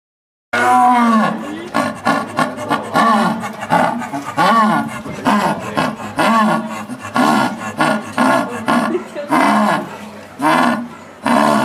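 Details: {'text': 'Elderly female jaguar in a zoo (Higashiyama Zoo, Japan) calling in a long run of short, hoarse, harmonic grunts, tightly packed and uneven in spacing, some bending up and down in pitch, for about eleven seconds.'}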